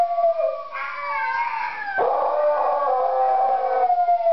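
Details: A fat pet beagle howls in long, wavering tones that rise and fall, joining in with a YouTube video of singing huskies whose howling voices are heard too.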